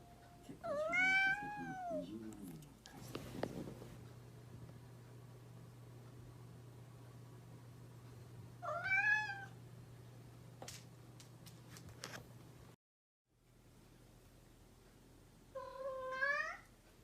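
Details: Domestic house cat giving three separate wavering meows several seconds apart, the last one rising, over a steady low electrical hum, with a brief silent gap before the final call.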